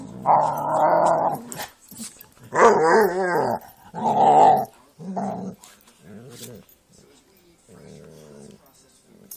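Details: Jack Russell terrier and pit bulls at play; loud wavering growl-barks and grumbles in several bursts of one to two seconds, fading to softer growls, with scuffling noises between.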